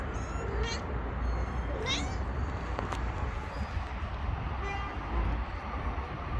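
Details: Street-living stray mother cat with four kittens, three of them missing, gives two short rising meows in the first two seconds over steady low traffic rumble and distant outdoor noise.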